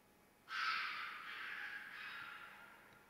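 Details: Fox screaming during mating season: one long, harsh, hoarse scream that starts abruptly, holds for about two and a half seconds, then slowly fades, over a faint steady background hiss.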